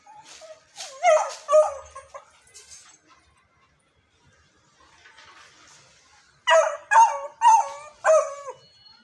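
A beagle puppy gives short, rising and falling howls with a yelping, wavering tone.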